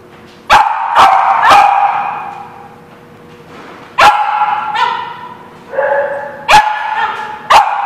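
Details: Dog barking on 7 November 2016: bursts of sharp barks, three in quick succession, then single barks after pauses, with ringing, tonal echoes trailing each burst.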